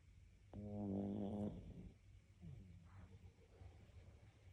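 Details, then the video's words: A sleeping dog snoring: one long, low, buzzy snore lasting about a second, followed by softer, rough breathing sounds against a quiet indoor background. "Собака храпит"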